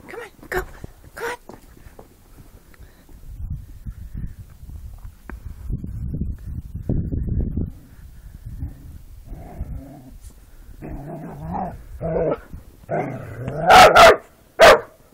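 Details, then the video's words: Border Collies playing in the yard let out wavering, harmonic howling cries that rise and fall in the last few seconds. Earlier come rustling and scuffling of play, and a person calls encouragement to the dogs. "Border collies playing & howling"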